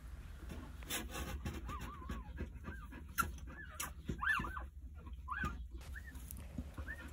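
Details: Nine Jindo puppies two days after birth, lying with their mother Sarang; scattered high wavering whimpers, some with quick upward hooks, come every second or so over soft breathing and rustling.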